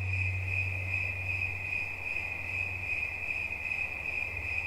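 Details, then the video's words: A cricket trills continuously in a relaxing soundscape, rapid high pulses held evenly, with a low droning hum in the background. "Świerszcz. Dźwięki relaksacyjne"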